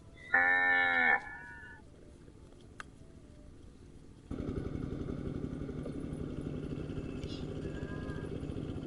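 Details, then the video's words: Cow calling while grazing, one loud, brief, harmonic moo near the start, followed by quiet and then a steady rumbling engine-like noise. "Cute and Funny Cow sound"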